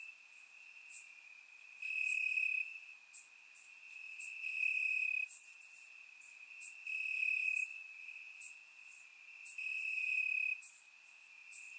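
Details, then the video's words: Crickets chirping in the grass on a warm summer night in Bulgaria, recorded with a surround microphone: a steady high, shrill trill that swells louder about every two and a half seconds, with faint high ticking above it. "Cricket Sounds - Crickets Chirping at Night"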